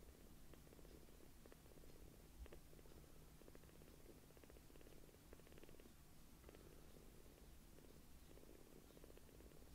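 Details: Newly rescued palm-sized kittens purring loudly while being affectionate, a steady low rumbling purr with rapid pulsing throughout and faint soft clicks over it.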